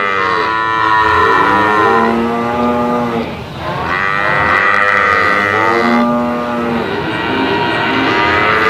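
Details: Brahman bulls lowing in long drawn-out moos that overlap one another, with a brief dip in the middle before loud calling resumes.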